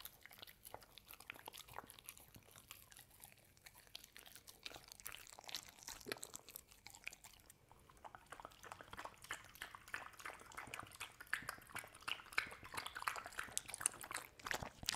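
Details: A dog named Hazel eating home-made treats and a kibble mush drink with oatmeal and coconut oil indoors; soft chewing at first grows into busier, wetter crunching and biting toward the end.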